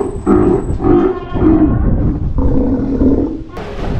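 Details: Captive adult male Steller sea lion, a father with worsening eyesight, no longer performing in shows but otherwise healthy and lively, at an aquarium in Ise, Japan: deep, harsh, rumbling roars in rapid pulsing bursts, with a brief break mid-clip.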